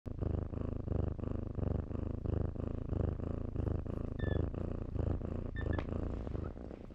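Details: Kittens playing in blankets purr steadily, a low rumbling throb pulsing in even breaths about every half second, with two brief high squeaky tones near the end.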